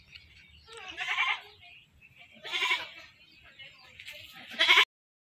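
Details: Goat that was caught and slaughtered, uttering three hoarse, quavering bleats at irregular intervals, the last one shortest and most abrupt, over low rumbling background noise.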